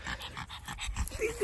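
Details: Dog panting in quick, even breaths, about seven short airy puffs per second for the first second, then a brief faint tonal sound near the end.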